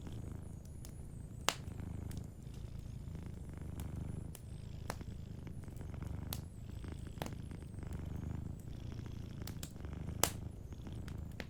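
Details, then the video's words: Soft, continuous low purring from a sleeping cat, pulsing gently with each breath, while a cozy fireplace crackles with frequent bright snaps and pops. "Sleeping Cat 🐱💤Fireplace & Soft Purring"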